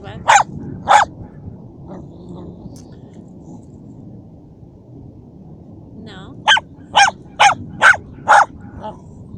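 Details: Szogun, a dachshund hunting dog, killing a mouse; two loud barks open, a quiet stretch follows, then a regular run of five sharp barks about half a second apart, with low background noise.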